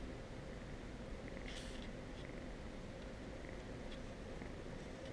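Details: Abelard, a nervous fluffy orange male foster kitten from the Goblin litter, purrs very quietly while calming down and snuggling with a person. The purr is a low, steady, continuous rumble with faint brief rustles above it.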